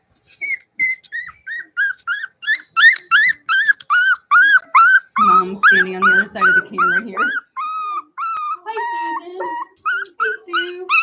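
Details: Cavalier King Charles Spaniel puppies raised inside a home, playing: rapid, evenly spaced high yelps roughly two or three per second, briefly joined by lower barks midway, then softer descending whimpers.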